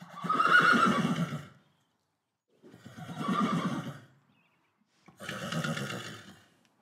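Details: A Friesian horse named Beau, recorded for a film's sound library, gives three throaty neighs, each lasting about a second and a half and separated by short silent pauses. The voice is low and buzzy, with rich overtones, in a quiet space.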